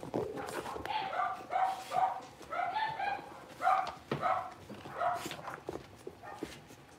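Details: Blenheim Cavalier King Charles Spaniel puppies, a litter of five born at New Year, kept in an indoor puppy pen and just moved to a bigger pen. They give short, high, tonal yips and little barks in irregular bursts, with sharp knocking clatters between them.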